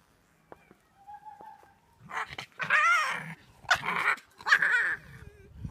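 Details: Foxes at Kitsunemura, the Fox Village wildlife sanctuary in Miyagi, Japan, calling while being fed: a few soft tones, then loud harmonic whines and yelps in bursts over about three seconds.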